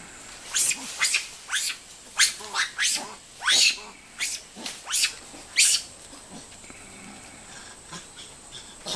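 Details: Over ten Formosan rock macaques suddenly begin playing and scuffling around the recordist, giving harsh, high-pitched squeals and shrieks in quick, irregular bursts.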